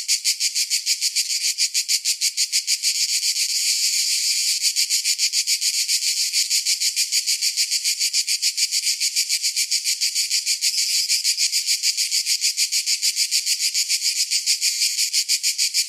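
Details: A long run of summer cicada song: dense, high-pitched sizzling that pulses quickly and steadily throughout, with little change in loudness.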